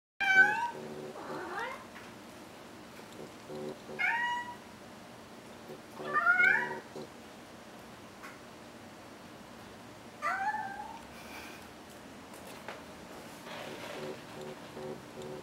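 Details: A domestic cat gives a funny meow indoors: four loud, harmonic meows, several with a rising or bending pitch, spaced roughly two to six seconds apart, followed by quieter faint sounds near the end.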